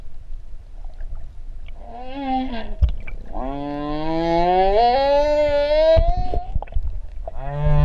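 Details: Humpback whale whines recorded underwater at Ha'apai, Tonga, where three whales were met. Long, mournful moans climb slowly in pitch and hold rich, buzzy overtones, with a short lower call first and another beginning at the end, over low water rumble and bubbling.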